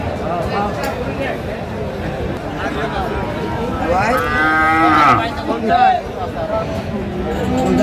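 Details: Sahiwal bull calves at a Chattogram cattle market, Bangladesh, 25 March 2025: a drawn-out moo wavers and bends in pitch midway, surrounded by men haggling over price and general crowd chatter.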